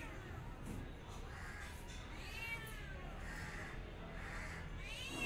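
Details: A cat gives several short and longer meows with bending pitch, one sweeping up near the end, all half-buried in constant low-pitched background hum.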